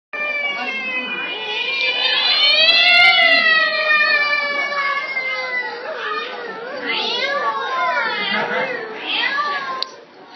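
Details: Domestic cat meowing in long, drawn-out, wavering cries with rich harmonics, rising and falling in pitch over about ten seconds, several overlapping meows merging into a continuous yowl.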